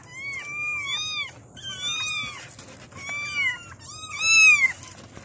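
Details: Kittens calling for their mother with clear, high mews, four or five arched cries in quick succession, each rising then falling, the last loudest and most drawn out, against a quiet background.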